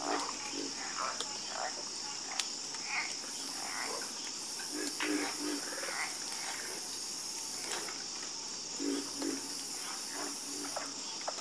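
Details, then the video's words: Chorus of frogs croaking: short, low, throaty croaks scattered irregularly, some doubled, over a steady high insect-like buzz and hiss. "Calming Sound Of Harmonious Frog Croaking"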